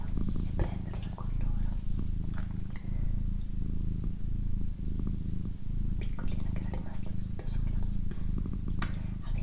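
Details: Female house cat purring in an ASMR session: deep, continuous buzzing rumble, pulsing with short breath breaks roughly every 0.6 seconds, while a person whispers quietly and faint mouth clicks come and go.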